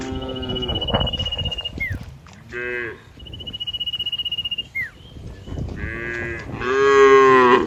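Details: In open green fields, a herd of cows moos in short bursts, then in longer moos toward the end. A steady thin high whistle and brief falling chirps sound in between.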